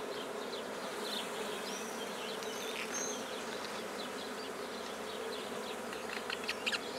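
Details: Colony of black bees during the start of a hive at Guernay, Côtes-du-Nord, France, giving a continuous even buzz, with a few faint high whistled notes and light clicks on top.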